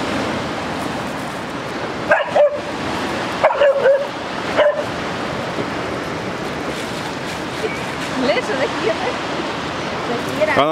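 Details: Fira, a young West Siberian Laika too scared to cross a river, lets out a few short whimpering yips between long stretches of rushing water, while a voice calls her over.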